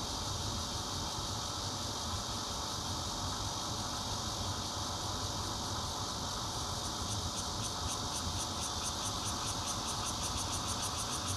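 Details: Bear cicadas, red-veined and intermittent singers, recorded 16 June 2013 from a fourth-floor home in Zhongli, Taiwan, on a Nokia Lumia 820: a dense, steady, hissing drone, with a rapid high pulsing that joins in over the last few seconds.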